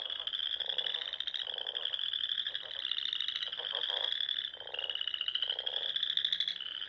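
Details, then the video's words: At dusk on a Sandhills pond in Nebraska in spring, frogs keep up a steady high-pitched trilling chorus while lower, rattling croaks come in short bursts roughly every second. "RELAXING SOUNDS OF FROGS"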